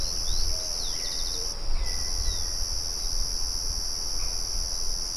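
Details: Crickets outdoors keep up a steady shrill ringing, pausing briefly around one and a half seconds. Short bird chirps and a few thin whistles ride above, with a windmill murmuring low in the background.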